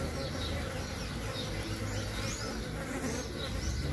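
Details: Mandaçaia bees of the Caatinga near a newly made hive box still without a queen; thick, even buzzing with low humming overtones for four seconds.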